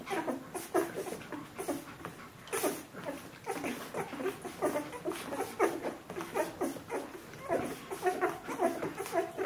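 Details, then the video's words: A 14-day-old Bernese Mountain Dog litter indoors, several puppies squeaking and whimpering almost continuously in short overlapping bursts, with some shuffling. "Jeanies und Captains Welpen 14 Tage alt Bernese Mountain Dog Puppy"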